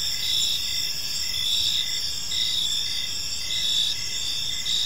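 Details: Crickets chirping on an evening in a peaceful park, a steady high shimmering trill layered with pulsed chirps repeating roughly once a second, overlapping voices forming a continuous chorus over a low, soft background rumble.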